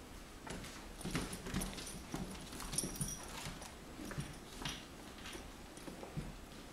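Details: Two Miniature Schnauzer puppies, Bruno and Frisco, aged 10 and 8 weeks, playing with shoes; brief low growly bursts and small whimpery sounds mixed with steady scuffling, tapping and clattering from the rough play.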